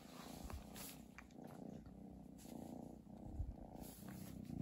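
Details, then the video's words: Purring from Chi, a pet cat, at Christmas time: a close, rough, rhythmic low rumble that swells and fades with each breath, with small rustles. "turn up volume for purring"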